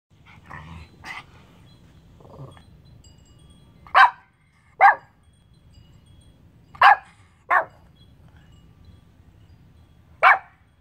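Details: Pomeranian named Ivy, recorded July 26, 2021, growling and barking at the air; a few soft low grumbles early, then short sharp single barks spaced about one to three seconds apart in a quiet room.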